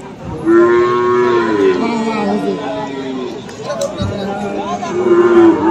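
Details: At Aftabganj market in Dinajpur on 21 February, among Friesian and crossbred bull calves, a sustained, steady moo lasts several seconds. A second moo rises at the end, with a faint hum of people behind.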